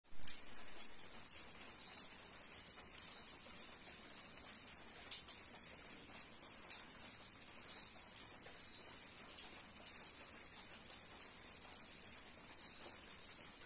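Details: A cicada in the woods at Umroi, Meghalaya, on a rainy day drones in a steady, high, hissing buzz while raindrops patter and tick close by.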